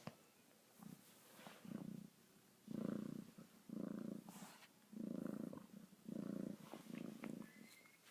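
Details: Domestic cat purring while grooming its coat: steady low rumbling purr in pulses, roughly one every second, each swelling and fading, with faint licking clicks between.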